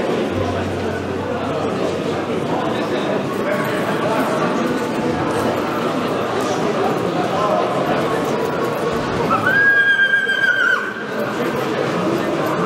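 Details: Polish cold-blooded (PKZ) stallion Monar, born 2020, by Gabor from Mona; one short, steady, ringing neigh near the end rises above constant chatter and background noise.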